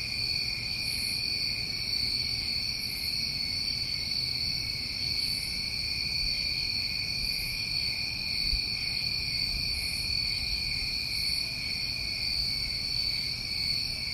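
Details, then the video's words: New England summertime crickets calling together in a continuous shrill drone, several steady layered tones with softer pulses repeating at irregular intervals of about two seconds high overhead; faint low background hum. "Over 1 Hour Of Tinnitus Masking With Crickets"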